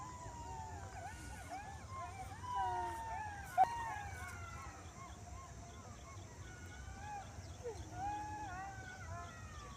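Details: Several jackals howl together at dusk under a cloudy sky, emerging into bushes near fields and ponds, in wavering, sliding wails that rise and fall over one another.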